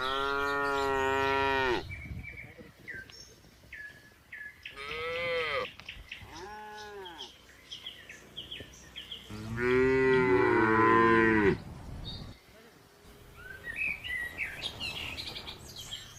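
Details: Red cow in a village grazing with a companion, a long loud moo opening, then shorter moos and one extended two-second call, with bird chirps and rustling in the gaps.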